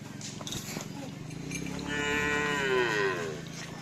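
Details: Moo from cattle at karapan sapi bull-race training at the Asemanis field, where team Pisang Emas has a new bull. A single drawn-out lowing call rises, then bends downward and fades over about a second and a half, over a steady low rumble.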